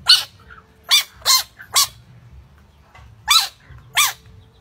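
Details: Dog, possibly a small pet, giving loud sharp barks, six spaced about a second apart with short pauses, each bark bright and harsh, over faint low background rumble.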